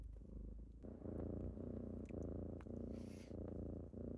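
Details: Kittens waking their owner purr loudly and steadily, a buzzy rumble that grows stronger after the first second, with small clicks and a brief higher rustle.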